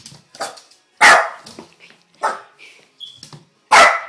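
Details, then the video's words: Pet dog barking indoors, with another dog joining in: sharp, loud single barks spaced about a second apart, with softer yips and a brief whine between them. "Barking dog"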